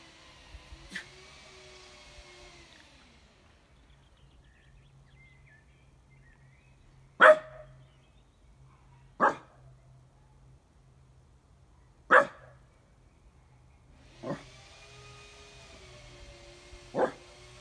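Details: A Basenji tries to "talk," giving drawn-out, wavering, yodel-like tones broken by sharp yips, with no one answering.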